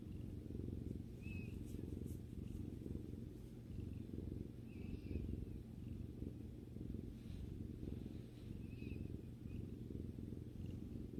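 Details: Relaxed domestic cat purring with its owner, a low vibrating rumble that never stops, overlaid by a few faint high chirping ticks and light rustling.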